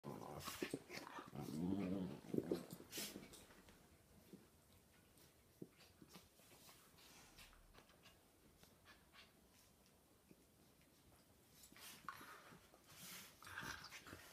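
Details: Older Polish Lowland Sheepdog with a nine-week-old puppy, soppy and affectionate indoors; soft whimpering and low growly grumbles in the first three seconds, then quiet rustling and snuffling, with more faint whines near the end.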